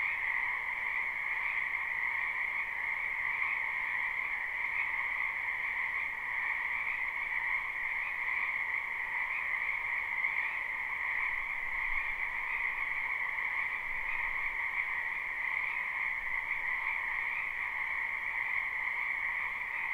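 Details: Spring wetland frog chorus, captured live without looping: countless frogs trill together in a continuous shimmering wall of sound, a mid-pitched layer beneath a stronger high layer, steady throughout with slight rhythmic flutter.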